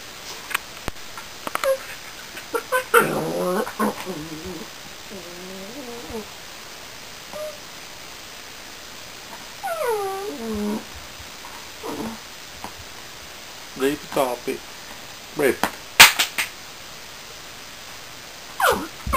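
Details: Reb, a new Border Collie puppy, whining and whimpering with wavering, stepped harmonic cries, some long and sliding, others short yips, scattered across the recording with soft clicks and knocks indoors.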